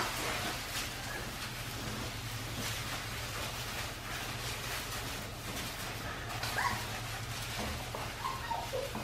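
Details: Australian Shepherd puppies, four weeks and five days old, on an indoor baby cam: soft whimpers and yips, with short, high, squeaky cries bunched toward the end, over a steady low room hum.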